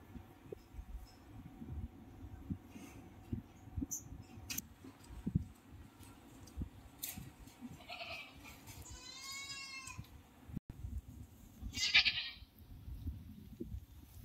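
A goat gives a few short, high, wavering bleats over a low background rumble.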